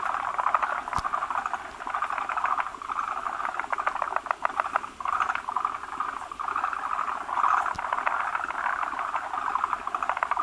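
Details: Many male forest green tree frogs at their breeding site, clustering on a big egg-carrying female that produces frothy egg masses; continuous rattling, clucking croaks from several callers rise and fall in waves, with two sharp knocks.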